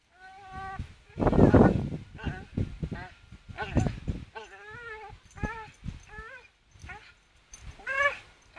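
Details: Charlie, a Staffordshire Bull Terrier, swinging on a rope, gives a string of short wavering whines and yelps with rising and falling pitch, interrupted by low rough grunting bursts and brief pauses.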